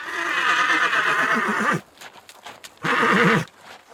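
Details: Horse from a herd neighs: a sustained rough whinny with a wobbling, descending tremolo, a gap with hoof clip-clops, then a shorter second quavering neigh.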